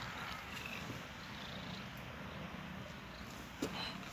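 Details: Two cats cuddling together, one purring in a steady, low, pulsing rumble throughout, with a brief faint click near the end.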